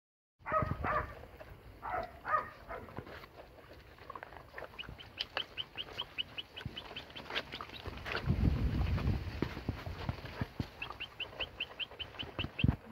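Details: Three-month-old Ibizan Hound puppies give short bursts of high, quavering yelps and whines, then rapid thin, ticking squeaks over low rumbling and handling noise.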